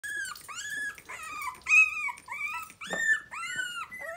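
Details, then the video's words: Three-week-old Miniature Pinscher puppies from a litter of five, still nervous and mostly kept in their baby bed, finding their voices: high, arching whines that rise and fall, separated by short pauses, with one louder squeal midway. "Miniature pinscher puppies 3 weeks old we are finding our voices"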